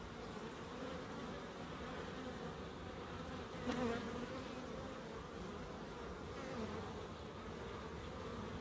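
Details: Bees in a small wildlife garden at an end-terrace house in Crookes, giving a steady, low droning hum that swells and fades, with one brief sharper buzz as an insect passes close midway through.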